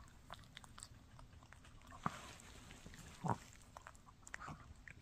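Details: Mikki the Shih Tzu works on a no-hide bully stick: sparse, soft gnawing ticks over a quiet background, broken by two louder wet crunching bites midway through.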